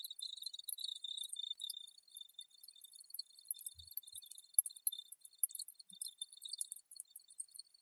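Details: High, thin chirping of crickets, rapid pulsed trills running almost continuously, overlaid by frequent sharp jingling flickers and a few brief louder bursts.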